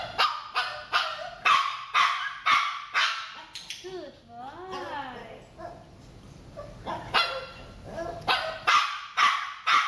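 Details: J, a Shih Tzu in eye contact training, yaps in sharp, evenly spaced barks about twice a second, breaks into a brief wavering whine, then returns to the steady run of high barks.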